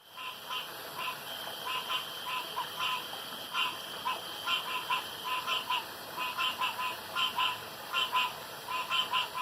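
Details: Night-time pond chorus of frogs, with many short raspy croaks overlapping and repeating more than once a second. Several callers answer one another against a steady high hiss.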